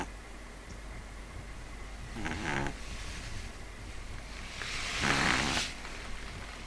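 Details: Sleeping pet Pug Neal letting out two harsh, rattling snores, the second louder and hissier, roughly three seconds apart against a quiet background hum.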